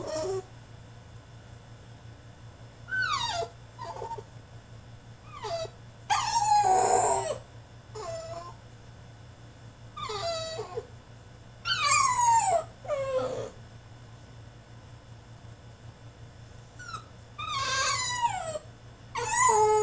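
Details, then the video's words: Male French Bulldog throwing a tantrum in his cage: bursts of high, harmonic whines and yelping howls that slide downward, each a second or so long, separated by short quiet gaps over a steady low hum. "FRENCH BULLDOG THROWS TANTRUM IN HIS CAGE!!"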